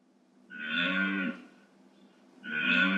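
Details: Deer bellowing in forest wilderness, real recording: two hoarse, harmonic bellows, each about a second long and separated by a short pause, with a strong low drone under brighter overtones.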